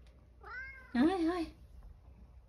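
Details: Male domestic cat in a rural home, meowing as an elderly woman offers him a second helping of food. One drawn-out, nasal meow lasting about a second that rises, wavers and falls. Quiet indoor setting.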